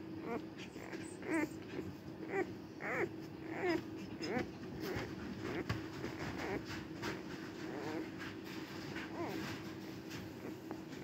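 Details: Cardigan Welsh Corgi, recorded 29 March 2024 on the day of giving birth, making a run of short, soft whimpering squeaks repeated about every half second, thin and wavering, against a constant background hum.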